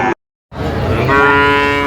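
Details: Five-month-old Sahiwal bull calves at a Kurigram cattle market, April 2025; after a brief silence a steady, even-pitched moo rises and holds, rich in overtones, over faint background noise.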